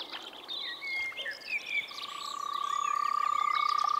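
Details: In spring, a frog at a Czech pond or wetland gives a long, even, rapidly pulsed trill through the second half. Several birds chirp and whistle over it, loudest early on.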